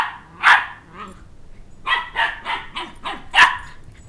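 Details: Shetland Sheepdog puppy, two months old, barking while chasing a toddler who took his stuffed dog-head toy; a loud bark, then a quick run of five or six yappy barks with a faint voice underneath.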